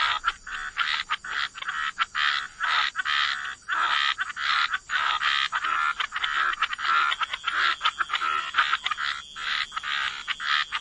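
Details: Frogs croaking together in a waterside wetland, forming a busy chorus of harsh, pulsing calls that rise and fall in loudness, with little break throughout.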